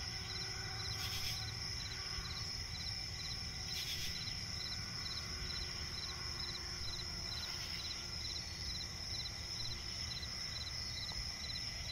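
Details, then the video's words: Night chorus of crickets in a swampy forest, a continuous piercing high drone layered with quick, evenly spaced chirp pulses that never stop, plus a few louder rasping bursts around one, four and seven seconds, low ambient hum underneath. "cricket chirping relaxing sound in night forest"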